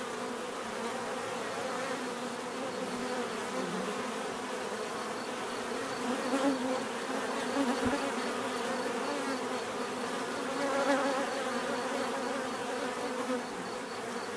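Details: Dense buzzing of many bees, an unbroken low hum layered with higher overtones, gently rising and falling in loudness as individuals drift nearer, especially around six and eleven seconds; only the insects are heard.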